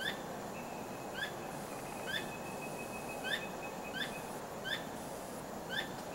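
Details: Squirrel vocalizing after dark, not trapped, wagging its tail throughout; crisp upward-flicked chirps with bright harmonics spaced about a second apart, with a faint sustained high whine in the background.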